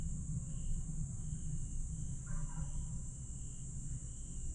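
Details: Grass insects on a July night at Aewol, Jeju, 22 July 2022: a steady high shrill drone with short chirps repeating about every 0.6 seconds, one brief descending call near the middle, over a heavy low rumble.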